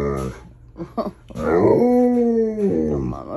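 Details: Alaskan Malamute howling early in the morning while still dark, mad at being woken; a long wavering tonal howl sliding slightly downward after short yips, with background music and a person speaking.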